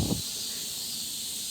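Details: Cicadas sing a steady, high, hissing drone without a break, heard while climbing a mountain in Korea, beside a street with parked cars near a football field.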